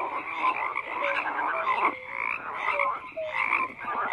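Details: A group of frogs keeps up a busy croaking chorus, grating trills layered over brief low tonal notes, the overall loudness rising and falling in waves.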